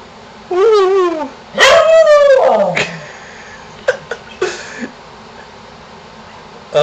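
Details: Pet dog barking and howling at a contractor in the neighborhood, encouraged by its owner; two loud, wavering, strongly harmonic howls, the second longer and sliding downward, then short sharp yips and a brief bark.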